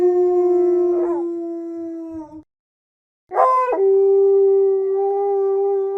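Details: Wolf howling in long, steady, level tones, broken by a short rough break mid-howl, then a pause of silence before a new howl begins with a raspy break and settles into another sustained tone.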